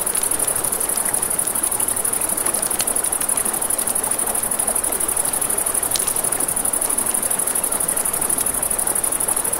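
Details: A steady shrill chorus of crickets beside a river at night, pulsing finely without pause, while a campfire crackles and pops and the stream rushes beneath.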